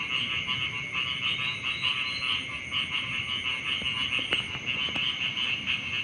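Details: Beside rice fields in the morning, frogs keep up a shrill, throbbing chorus of rapid pulsed trills, joined near the end by a couple of sharp clicks.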